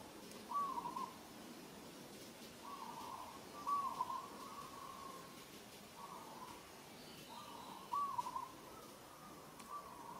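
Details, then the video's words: Repeated plaintive tonal calls from infant monkey Moka as she struggles under Sada's rough handling, Cambodia's Kampong Cham Province; steady mid-pitched notes recur every one to two seconds, each brief and even. "She's struggling & calling"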